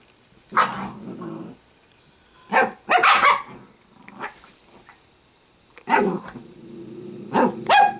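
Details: Sparkle, an Italian greyhound puppy kept as a pet, gives sharp barks around 0.6, 2.6, 3.0, 6.0 and 7.5 seconds, with low rumbling growls trailing after several of them and quiet gaps between.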